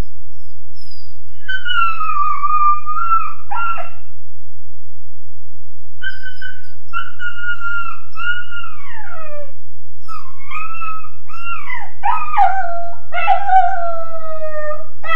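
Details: A Weimaraner puppy named Joe, about 13.5 weeks old, howls in his kennel crate: drawn-out wailing tones that slide downward, in three bouts with pauses, the last ending in broken, wavering yelps; steady low hum beneath.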